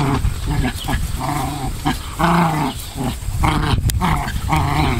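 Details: Pair of Pomeranians in mock combat on a central Wisconsin farm: choppy, harmonic growls and grumbles come in short runs, with one longer drawn-out snarl midway and low scuffling noise underneath.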